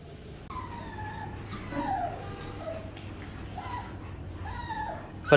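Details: Labrador Retriever puppies at their first bath whimpering: about five thin, high whines that slide downward, coming under a second apart over a steady low hum, then a sharp knock at the end.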